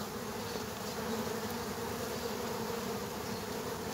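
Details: Brief stretch of killer hornets fighting bees at an underground nest: an unbroken, humming swarm drone with a slightly brighter mid-pitched whine.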